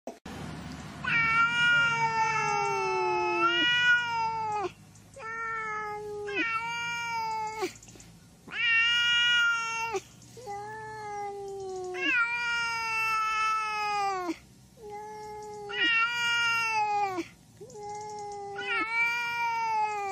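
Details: Cats of several kinds meowing incessantly: a long run of loud, drawn-out, slightly falling meows, about ten calls in twenty seconds, each separated by brief pauses.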